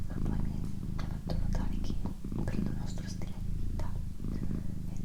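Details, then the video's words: Female pet cat purring in a quiet room, a soft rumbling purr beneath near-constant low whispering. "ASMR Cat Purring & Whispering"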